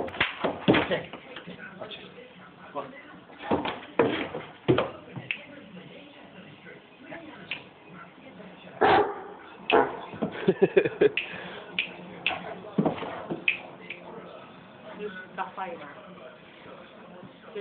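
A Great Dane gives scattered deep, abrupt barks, with a person talking in between.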